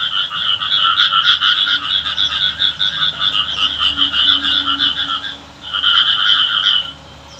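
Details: Village frogs calling while it rains: a continuous buzzy chorus of fast trilled croaks, pausing briefly around five and a half seconds, then a short burst before fading out.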